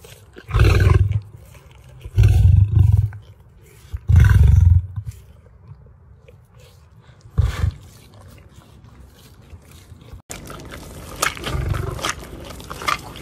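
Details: Feeding time for lions at a Ras Al Khaimah wildlife park in the UAE: three loud, deep roaring grunts within five seconds, then a fainter grunt and a steadier background hiss.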